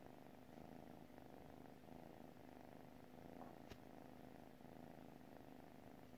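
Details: Sleeping house cat purring: a quiet, continuous low hum that swells and fades in regular breaths, with one brief click midway.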